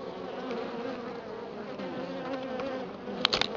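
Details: Honey bees at a Florida hive after a week of colder weather, giving a steady low hum with a second, higher layer above it, and a few sharp clicks and knocks near the end.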